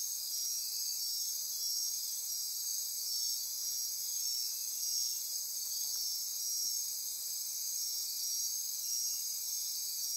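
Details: Insects calling after dark in Costa Rican rainforest by Corcovado National Park on the Osa Peninsula: thick steady shrill buzzing and pulsed ratcheting trills layered at several high pitches, with a faint tick midway.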